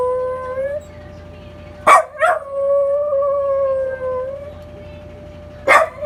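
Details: Male Welsh Corgi Rungji, born 2015, wails at the Memorial Day siren: a howl tails off early, then a loud burst starts a long, wavering held howl lasting over two seconds, and another burst begins near the end, all over a steady siren tone.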